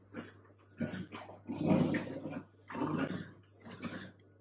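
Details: Female Dachshund indoors, stuck in a duvet, gives a run of low grumbling growls in uneven bursts, the loudest near the middle, over a steady electrical hum in a small room.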